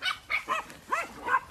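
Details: Puppy sheepdog on a farm in County Kilkenny, Ireland, not coming back when called while pregnant ewes are moved; five short, high, harmonic yelping barks in quick succession, some arching up and down in pitch.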